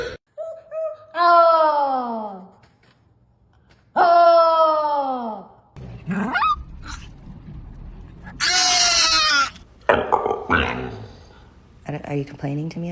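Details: Pet dog indoors, complaining to its owner, gives two long moaning whines, each rich in harmonics, sliding down in pitch and lasting over a second. A woman's voice and scraping and rustling noises follow.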